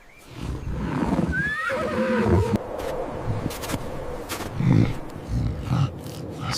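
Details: A medium brown savannah wild horse gives a long, shaky whinny that rises then falls in a quavering run, followed by low snorts and breathy huffs.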